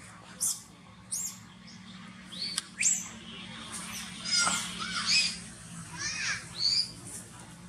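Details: Baby monkey Toni crying after falling into a ditch and hitting the ground when its mother caught its tail; high, sharp squealing cries in short bursts with rising and falling whistled notes, repeated irregularly over outdoor background noise.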